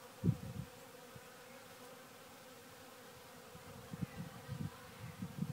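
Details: A continuous low droning hum from honey bees busy at a pile of sawdust, with short muffled thumps at the start and scattered soft rumbles later.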